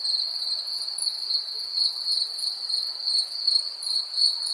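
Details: Continuous high cricket trill recorded in 3D, ringing with gentle rhythmic swells and a faint higher overtone, no other sounds present.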